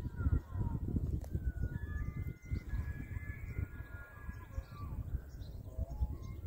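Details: Elk (wapiti, Cervus canadensis) in Hurunui, New Zealand gives thin, whistled squeals, some sliding in pitch, over a heavy low rumble of wind.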